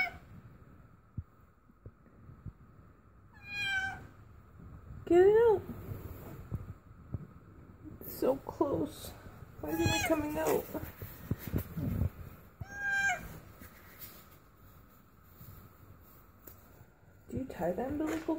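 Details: A domestic cat giving birth for the first time, indoors, gives several strained, rising meows and short high cries scattered among a person's encouraging talk, with rustling between calls.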